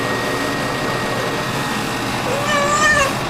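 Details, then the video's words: Sasha, a pet cat, meowing while being given a bath: steady running water and background noise, then near the end a short wavering cry with a rising then falling tone; a person speaks softly before and after. "Bathing the Cat"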